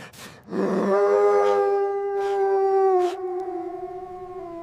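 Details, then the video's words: Playful puppies with their mother dog on snowy ground in winter; one long, steady, tonal howl held for over two seconds, then fading lower. "Beautiful puppies playing with mother dog on snowy ground – Dog barking sounds"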